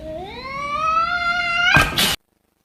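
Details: A cat gives a long, drawn-out meow that rises steadily in pitch and holds for almost two seconds, ending in a short burst of harsh noise before the sound cuts off.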